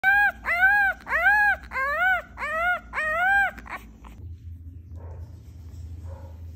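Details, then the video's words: Little puppy wanting attention, giving five loud arched whining yelps in a row, each rising then falling, about one every two-thirds of a second, then a few short squeaks and quiet faint whimpers over a low hum. "Little puppy wants attention"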